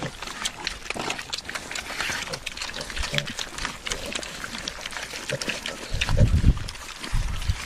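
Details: Pigs at a feeding trough grunt and snort together in a busy, overlapping chorus, with a louder deep grunt near the end.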